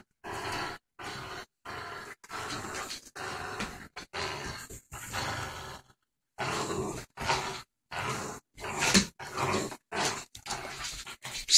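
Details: Playful growling from Ginger, a four-month-old boxer and pit bull cross puppy, during a tug-of-war game, chopped into many short harsh bursts separated by brief pauses, some ending in sharper snarling grunts.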